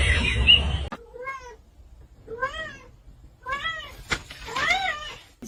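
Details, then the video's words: Indoor cat uttering four short, clear meows that rise and fall, spaced roughly a second apart, after a brief rush of noise, with quiet room sounds and a person's voice around it. "Kitten meowing"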